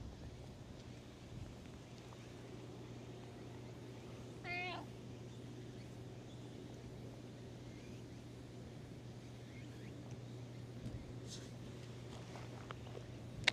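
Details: Cat that had been sleeping on top of breakwater tetrapods, awake and coming out to be petted, gives a single short wavering meow with a rich harmonic stack midway, otherwise quiet outdoor ambience over a steady low hum.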